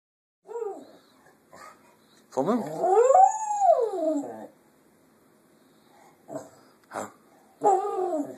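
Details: Pet female Shetland Sheepdog that loves to howl: a long tonal howl rising then falling in an arch over about two seconds, rich in harmonics, framed by short soft whines and brief vocal bursts before and after.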